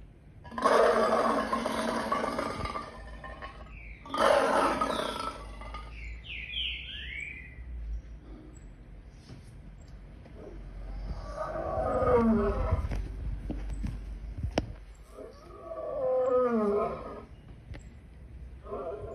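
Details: Lion (Panthera leo), roar.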